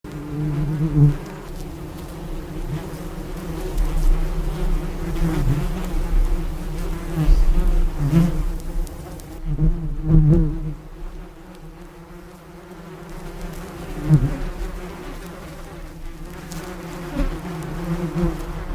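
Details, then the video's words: Bee buzzing in a steady low drone with layered overtones, swelling louder and softer as it moves about, with brief loud passes near one, seven and ten seconds and a quieter stretch in the middle. "ABEILLE qui BOURDONNE le CRI de l' ABEILLE bee SOUND"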